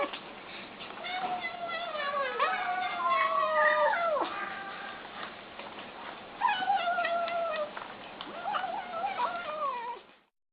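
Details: ['Kittens eating and making wavering, whining meows in quick succession, pitch bending up and down and often dropping sharply at the end, before the sound cuts off.']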